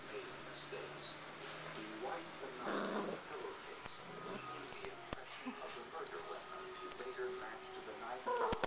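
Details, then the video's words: Cavalier King Charles Spaniel puppies at play indoors, one rough, breathy growl-like burst in the middle, then faint whimpers and scattered clicks and knocks over a low steady hum. "Cute cavalier puppies playing"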